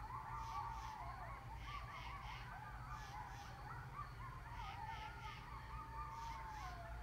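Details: Coyotes, including grown pups, howling and yipping together at 10 PM in northern Rhode Island, starting after a police siren; overlapping wavering, quavering high voices rise and fall continuously over the whole stretch, with a low background rumble.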